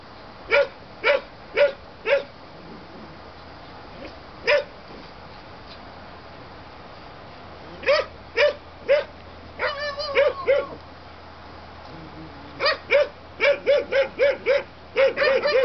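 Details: High-pitched yaps from German Shepherd puppies, Aqua and Tiger's litter born 7/6/2012, coming in irregular clusters, with a wavering whiny yelp midway and a fast run of barks near the end.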